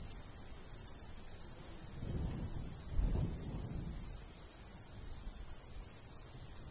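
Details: Field crickets of a summer wheat-field countryside chirping in a regular chain of brief high pulses, as gusts of light breeze swell and fade beneath them around the middle.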